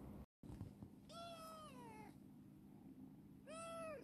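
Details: Rescued black female cat Chibikuro, once a stray and now affectionate, meows twice indoors: a long second-long call sliding gradually downward in pitch, then after a pause a shorter rising, arched meow, with a steady low hum behind.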